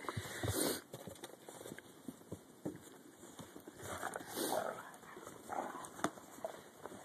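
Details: Dogs playing in the snow during the 2011 blizzard give a few short, rough barks scattered across the recording, with rustling, soft thumps and faint human voices calling the dogs in between.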